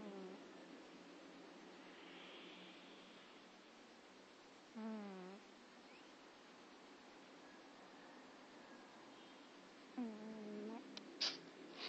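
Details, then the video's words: Domestic cat snoring: two short, buzzy, nasal snores roughly five seconds apart, each about half a second long, separated by quiet room hiss, with a faint sharp click near the end. "Snoring cat!"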